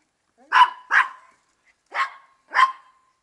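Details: Female Maltese dog barking while playing a favourite game, peering under a car at the feet of the person playing with her to avoid being caught: four sharp, bright barks, two close together, a pause, then two more.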